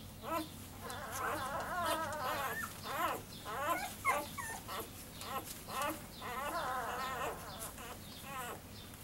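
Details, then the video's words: Basset Hound puppies just hours old, nursing, from a litter of eight born May 25, 2015. They give a busy run of overlapping whines and squeaks, rising and falling, almost two per second, with some chattering throughout. "Baby Basset Hounds nursing."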